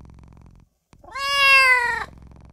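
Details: Tiny newborn kitten calling for its mother and owner, giving one long drawn-out meow that starts low, climbs, then holds steady and sags at the end, with faint low background hum before and after.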